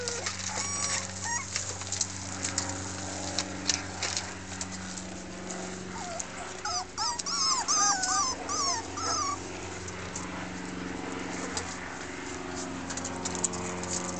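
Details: Miniature Pinscher puppies from a 2013 litter of six red females, kennel-raised, voicing discontent once they've tasted freedom; high, wavering whimpers and whines cluster midway, over a steady low electrical hum and scattered clicks.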